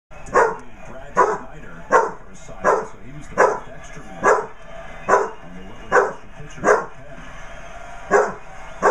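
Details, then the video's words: Basset Hound puppy barking at a basset hound birthday card indoors: a steady run of about twelve short, sharp barks, one roughly every three-quarters of a second, each a brief bright yap with a faint hum behind. "Basset hound puppy barks at birthday card."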